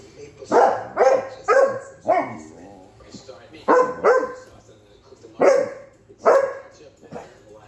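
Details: Bandit, a Basset Hound, barks into the face of Tank the Victorian Bulldog: clusters of two or three sharp barks separated by short pauses, about eight barks in all, with faint voices beneath.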